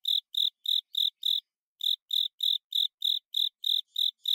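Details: Velarifictorus micado, the Japanese burrowing cricket, singing the chirping song known in Japanese as "kata sase, suso sase". Regular high pulses, about three a second, break off briefly after five chirps and then resume. The background is otherwise silent.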